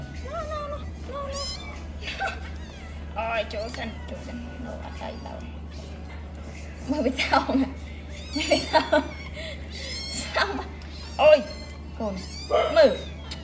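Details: Abandoned newborn kittens picked up from the street cry during feeding. Their high, wavering mews are repeated irregularly and grow louder and more frequent in the second half, over a constant low electrical hum.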